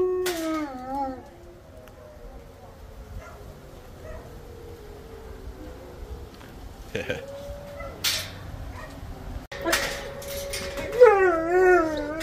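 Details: Two dogs in a kennel before feeding, howling at the monthly tornado siren test. Short wavering howls at the start and end sit over a steady siren tone, and a man speaks in between.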